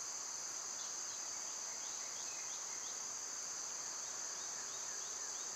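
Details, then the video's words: Cicadas in summer, loud at this time of year: a steady, shrill, unbroken buzz high in pitch fills the whole stretch, with faint short sliding notes repeating softly beneath it. "Cicada sounds"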